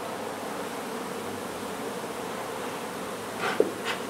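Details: Honey bees buzzing as their hive is taken out of an old home in Donna, Texas, to be relocated: a constant massed drone, with a short knock and a rustle near the end.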